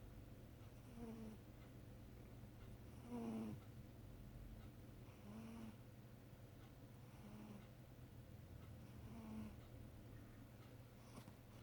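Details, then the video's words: Sleeping, dreaming house cat named Charlotte snoring: rhythmic raspy snores about every two seconds, each with a short whistling squeak, one louder snore near the middle, constant low room hum beneath. "Snoring cat"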